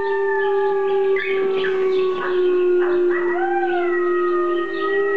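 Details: Gordi, a dog responding to recorded wolf howling, holds a long, steady, slightly wavering low howl for several seconds while higher overlapping howls rise and bend above it.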